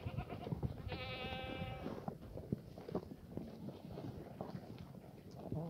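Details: A single bleat lasting about one second, held level and nasal, from a black goat at Sunny's Black Goat Farm in Gimhae, South Korea. It comes from the farm exercise yard on sunny Sunday morning 31 March 2019, with a low rumbling background.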